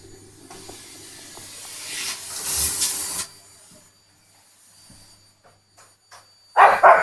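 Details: Two-year-old Pomeranian, afraid of the vacuum cleaner, indoors; a hissing rush of air and a quiet stretch, then one loud, sharp bark bursts out at the very end.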